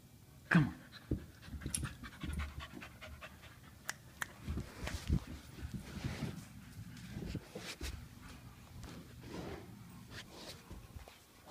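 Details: Lola, an English Bulldog, and Mr. Fitzgerald, a Wheaten Terrier, at play: heavy, rough panting and snorting breaths come in low, rhythmic bursts throughout, broken by sharp clicks and thumps.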